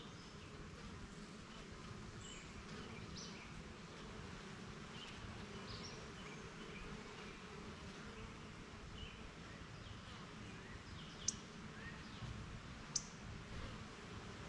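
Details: A backyard beehive where honey bees shuttle to gather pollen and come back; a soft, continuous low buzzing drone runs throughout, broken only by two sharp clicks near the end.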